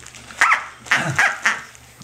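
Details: Six-to-seven-week-old female Corgi puppy Tic-tac at play with her toy duck, giving four quick shrill yips, one then a tight run of three about a quarter second apart, with low room hum beneath.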